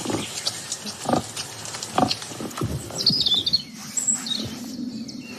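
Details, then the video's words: Wild boar giving short, rough grunts about once a second over steady rain, with a few high bird chirps, captured by an unattended microphone recorder in a forest during a wildlife sound inventory. "Là, c'est le sanglier et la pluie. On entend la pluie."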